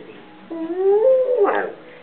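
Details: Pet dog's unique woo-woo noise indoors, not a bark or growl: one smooth, steadily rising howl-like woo, cut off by a person's voice asking what it wants.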